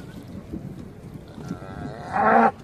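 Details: Hereford cattle arriving by boat on Skarø in April 2016 to graze through the summer; after a stretch of rumbling background noise, one short loud bellow bursts out near the end.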